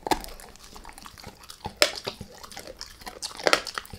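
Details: Brief chewing by Max the dog on a beef rib: a few isolated crunchy snaps and wet clicks separated by soft gnawing.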